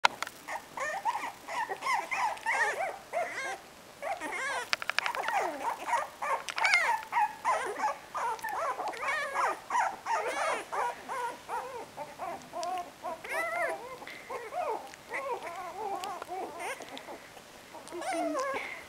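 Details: A male Cocker Spaniel, described as agitated, whines and whimpers almost without pause in high, wavering, bending tones.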